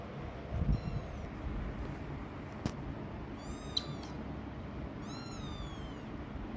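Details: A mother cat moving away from the kittens she has hidden gives two high, thin, drawn-out mews a second or so apart, each sliding downward, with a soft thump and constant low background rumble.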